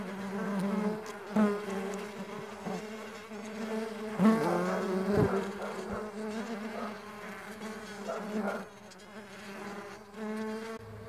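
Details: Farmed stingless bees humming in a steady, low, droning buzz with a rich stack of overtones; the pitch wavers and brief louder swells pass as bees fly close, with a few sharp clicks along the way.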